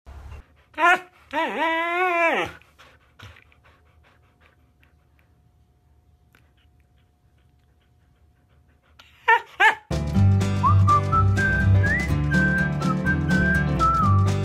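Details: Siberian Husky in a funny pet compilation, giving a wavering, howl-like 'talking' vocalization: a short yelp, then a drawn-out, rising and falling moaning call lasting about a second. Quiet follows, then more brief yelps before loud music with whistling takes over.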